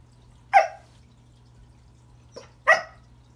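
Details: At Christmas, Pembroke Welsh Corgi Remington greets a new toy found under the tree with two loud, clipped barks about two seconds apart. A faint softer yip comes just before the second, over a quiet indoor hum.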